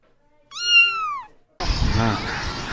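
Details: One long, tonal cat meow, falling at the end, then cut off by a loud, rough burst of a different noise.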